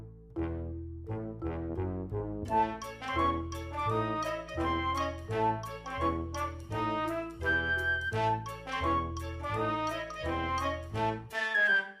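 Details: Brass and woodwind instruments play a bouncy tune over a steady repeating bass line, with no animal voice.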